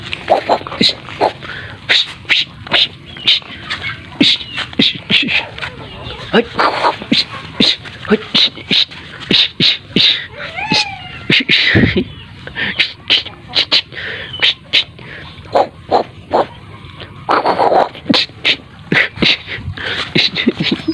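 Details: A playful black dog tussling with a human hand in a kung-fu-style play fight: rapid scuffling bursts and snuffles throughout, with a short whine near the middle and a person's voice mixed in.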